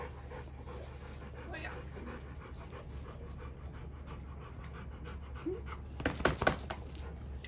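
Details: A Rottweiler pants in quick, breathy puffs over a steady low hum, with a brief metallic jingle, while waking a baby in the morning to say good morning on a ranch.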